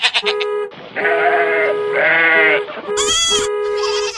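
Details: Domestic goat in India giving long, wavering bleats, two drawn-out calls followed by a higher, sharper bleat, over a constant steady tonal hum in the background.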